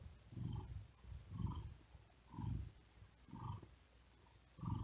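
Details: Cat resting on a cool wooden desk in hot weather, purring as it breathes hard; low throbbing rumbles come about once a second, each swelling and fading in turn.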